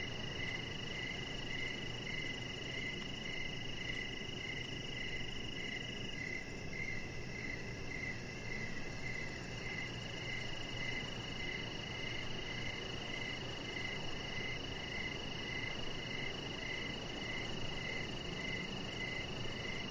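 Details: Crickets chirping outdoors in the evening beside a deck: a steady train of short, high pulses repeated several times a second, over a constant higher whine and a dense, low background hiss.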